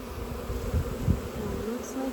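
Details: Honey bee swarm being scooped into a box, the bees signaling as the queen is believed to be inside; dense low buzzing hum with a few louder thumps around the middle.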